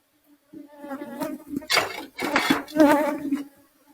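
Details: Asian honey bees (Apis cerana) from a colony nesting inside a kitchen roof, heard during a hive rescue: a steady low hum swells into louder, wavering buzzy bursts as bees fly close, then fades.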